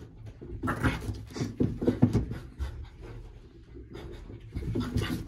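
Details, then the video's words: French Bulldog at play, snapping at fingers in a small room: breathy panting and low throaty growl-like grunts in short clusters, a brief quiet stretch, then renewed huffing toward the end. "French Bulldog very playful"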